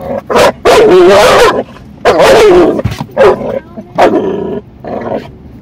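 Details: American Staffordshire Terrier, female, lunging at hated windshield wipers, with harsh, drawn-out growling barks in three long bursts, followed by shorter snapping yaps near the end.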